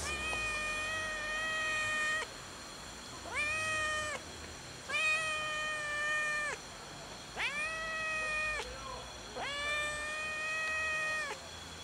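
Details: Waiting on a gas enclosure for food, a fluffy, strangely colored solitary male cat gives five loud, clear, evenly held meows, each about a second long, spaced roughly every two seconds.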